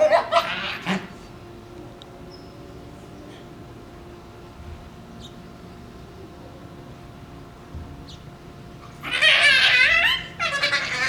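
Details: Shiba Inu puppies, two of them, play over a bone with strange fox-like screams: a brief high cry at the start, near silence with faint scuffs, then a loud wavering, quavering scream late on.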